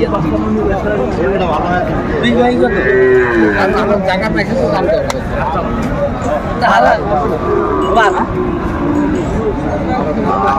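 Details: Lowing from a Sahiwal bull calf at a busy Faridpur cattle market in Bangladesh, 5 January 2025. A drawn-out, wavering moo rises from the noise, while bargaining voices and crowd murmur continue throughout.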